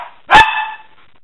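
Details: Dog playing alongside her pups in February 2016 gives one abrupt bark that leaves a fading, whine-like tonal tail lasting about half a second, with no other sounds nearby.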